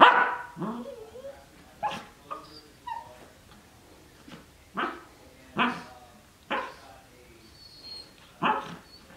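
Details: Cardigan Welsh Corgi puppy, 12 weeks old, playing in a dog bed indoors: a loud opening bark followed by short yips and barks spaced about a second apart, with rustling from play.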